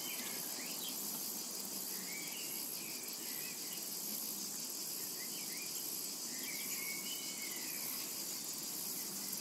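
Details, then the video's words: Summer meadow cicada chorus, an unbroken shrill hiss holding level throughout, with scattered faint bird twitters and thin sliding whistles drifting in behind the insects. "Summertime and Cicada Ambience"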